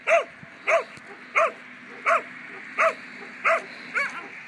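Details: Two-year-old German Pinscher barking during protection training: sharp, loud barks repeated steadily about every 0.7 seconds, seven in a row, over a faint steady background hum.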